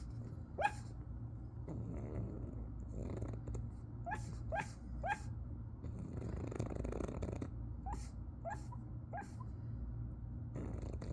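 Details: A pug with tongue out and eyes open gives soft, brief yipping barks over a steady low snoring rumble.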